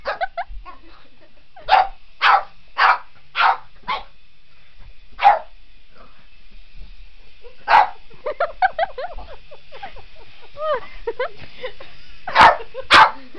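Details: Boston Terrier Otis takes on a remote control helicopter: a burst of five rapid barks, then scattered single barks separated by whines and whimpers, with a steady high helicopter drone audible across the whole stretch.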